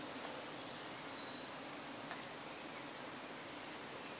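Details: Many honey bees kept in hives on trucks in Croatia, calm near nightfall while their keeper extracts honey, recorded up close: a dense, steady, hissing buzz with no breaks and faint thin tones drifting above it.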